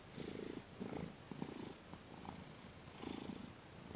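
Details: Thomas the cat, relaxed under massage and Reiki on December 28, 2021, gives short bursts of deep vibrating purr, three clear swells separated by brief pauses, with light crackles of fur rustle.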